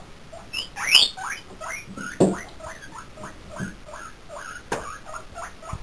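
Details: Pet guinea pigs squeaking as a visiting chinchilla jumps up a filing cabinet: a series of short rising squeaks, several high whistled sweeps near the start, with thumps and patter between calls.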